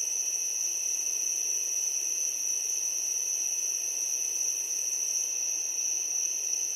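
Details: Crickets just before sunset form a steady, high-pitched chorus, a continuous shimmering trill with no pauses.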